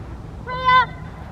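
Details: Rottweiler named Freya vh Odom during schutzhund protection training on the field: one short, tonal bark of about half a second, strongly harmonic and slightly rising, over a low steady rumble.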